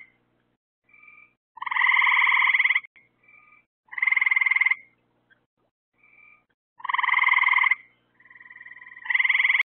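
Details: Nighttime frog chorus near lights put out to attract insects: four strong rattling trills, each roughly a second of fast pulses, alternating with quieter brief notes, possibly a second frog, in an otherwise quiet setting.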